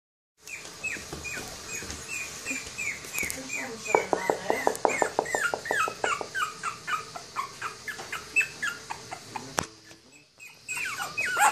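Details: Toy Poodle and Pomeranian puppies, one female and two males, squeaking in high, thin whimpers that slide downward, tumbling over one another several times a second and loudest in the middle of the stretch.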